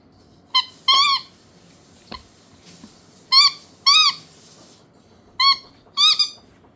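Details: Bobo, a Chihuahua (Canis lupus familiaris) puppy, gives high, squeaky whines in pairs: a quick yip, then a longer arched whine.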